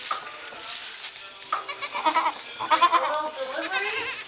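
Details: Saanen/Alpine cross kid goats, just born on a hobby farm in May 2012, bleat in a cluster of quavering, pulsed cries near the middle. Voices are heard faintly before and after.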